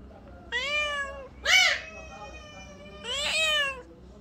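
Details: Khao Manee cat, a rare breed from Thailand, gives three drawn-out meows. Each is clear and harmonic and arches slightly in pitch. The second is shorter and more strained. Quiet indoor background between calls.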